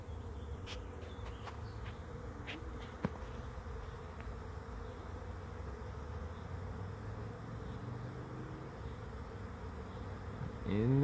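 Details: Swarm of bees settling onto a swarm trap: an even low hum with several sharp ticks early on and a sudden loud sweeping noise at the very end.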